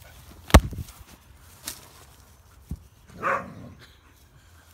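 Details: Dogs at play, an American Akita with a husky/greyhound mix: a few dull thumps, then one short, harmonic, whining yelp in the middle of the clip, with quiet background between sounds.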